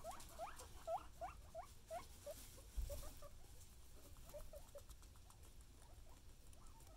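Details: Excited guinea pigs making short rising squeaks in quick succession, fading into quieter chirps under steady background noise and a thump.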